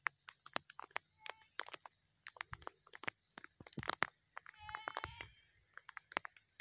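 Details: Sheep from a flock offered for sale together with two-month-old lambs; short harmonic bleats sound near the start and again around five seconds, surrounded by many sharp clicks and knocks.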